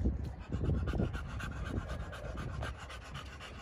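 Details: Panting from a male pocket American Bully kept at a kennel in Romania: a steady run of short airy breaths, louder at the start and fading slightly toward the end.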